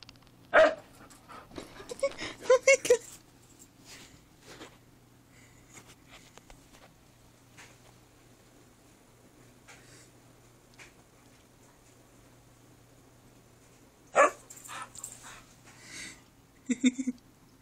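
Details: Shanuk, a male pet Husky indoors, vocalizes because he wants to go upstairs. Two clusters of loud, harmonic yowling bursts come early and again near the end, separated by a long quiet stretch with faint shuffling and a steady low hum.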